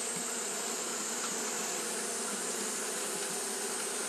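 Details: Steady wing-fanning drone from Japanese honey bees on a hot day, many bees blending into one continuous low hum under a bright, even hiss, with no pauses or other voices.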